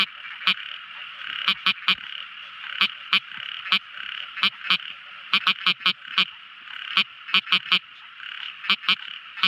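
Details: Night-time calling of a tiny frog: loud, abrupt clicks, often in quick pairs or triplets, about twenty in under ten seconds, over a constant high, shimmering drone from many other callers.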